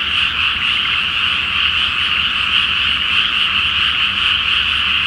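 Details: Frogs massed in a flooded rice field at night before planting, full moon overhead, calling as one loud continuous chorus of overlapping high croaks, level and unbroken, with a weak low hum in the background.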